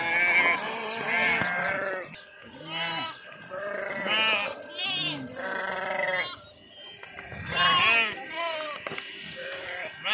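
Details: Sheep, with young kids, jumping into and swimming across a river; wavering, quavering bleats come in bursts roughly every second or two, several animals overlapping, with people's voices mixed in.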